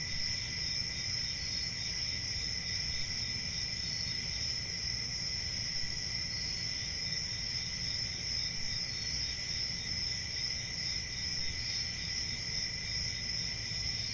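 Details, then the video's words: A cricket chorus rings on without pause, a high continuous chirping buzz, level and unchanging, above a low murmur. "1 Hour of Cricket Sounds"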